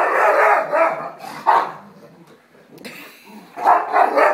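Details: Small pet dog being teased during rough play, answering with bursts of harsh, husky barks in short clusters at the start, middle and end. A man's voice calls to it between them.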